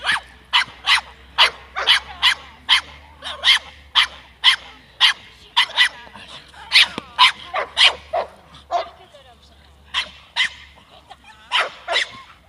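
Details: A 7-month-old Staffordshire Bull Terrier barks sharply and steadily, about twice a second, during defence training.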